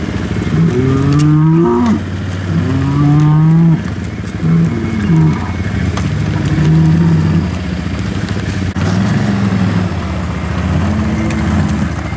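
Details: Hereford bulls being turned out with cows for the 2017 breeding season: repeated low, moaning moos roughly every two seconds from more than one animal, over a constant rumbling engine drone.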